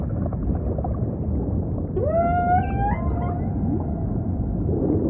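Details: Humpback whale song amid ocean ambience: after a low rumbling wash, a single tonal unit sweeps upward and then holds a level, harmonic-rich moan for about a second and a half before fading.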